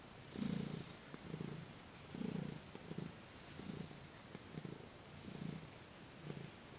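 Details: Thomas, a domestic cat, purring during a massage and Reiki session on December 28, 2021. Low, rumbling purr bursts rise and fall about every 0.9 seconds with each breath, against a quiet indoor background.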